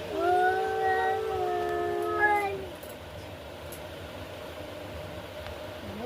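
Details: Fighting cats give a sustained, wavering yowl lasting about two and a half seconds. It ends abruptly, and only low background noise remains afterwards.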